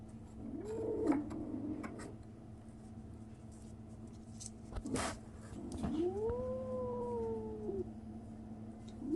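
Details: Young kitten, 37 days old, making a strange noise: a short rising cry early, a sharp knock around the middle, then a long steady meow that climbs and slowly falls, over a faint hum.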